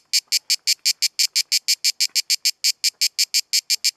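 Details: Cicada singing at Kaiser's Throne in Pelekas on Corfu, Greece: loud, hissing high-pitched pulses repeated rapidly and evenly, about five per second, with no other clear sounds.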